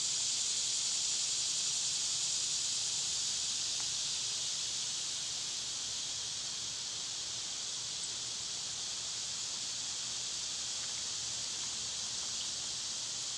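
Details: Summer cicadas, loud in this season, keep up a continuous, high, rasping buzz across the whole stretch. It is slightly stronger at the start, with only a few faint ticks in the background.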